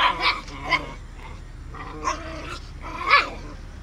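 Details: Aggressive Samoyed scuffling with his brother: short harsh barking bursts at irregular intervals, separated by low rough growling.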